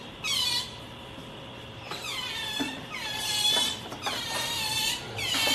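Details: Pet otter clinging to its owner and making cute noises: bursts of high, shrill squeals that slide downward in pitch, coming roughly once a second over a faint steady background tone.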